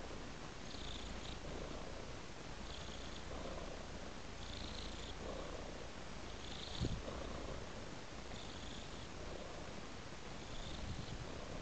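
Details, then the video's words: A house cat lying on a flower-patterned pillow purrs steadily: continuous deep vibrating rumble, with airy inhale-exhale swells about every one and a half seconds and one small bump midway. "Purring Cat"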